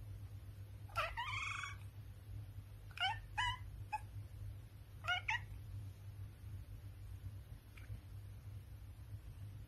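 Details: British Shorthair cat Raven meows repeatedly. A longer, strained meow is followed by several shorter, choppy meows spaced a second or two apart, then one faint final call, with a constant low background hum.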